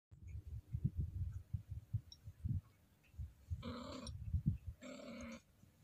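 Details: Female Scottish Fold cat in heat, gently stroked, rumbling low pulsed throat sounds throughout, then two drawn-out, harmonic-rich moaning wails near the end.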